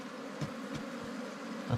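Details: Disturbed wild ground bees humming during a honey hunt without smoke or fire, a dense even drone broken by brief knocks from digging tools near the start and end.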